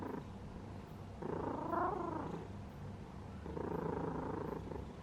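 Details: A cat purrs while asleep: a dense, low, buzzy rumble in two long, louder swells, separated by a quieter breath.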